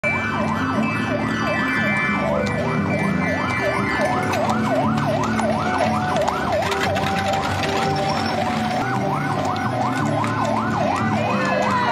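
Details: Wailing emergency siren sweeping up and down over steady traffic and crowd noise; no animal sounds.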